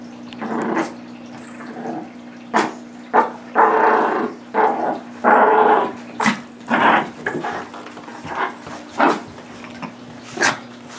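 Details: Two dogs, Nibbler, a 9-month-old blue Doberman pinscher, and Biscuit, a 6 lb miniature shorkie (shih tzu–yorkie), playing tug of war: rough growls and short barks burst out roughly every second, some drawn into longer rumbling growls.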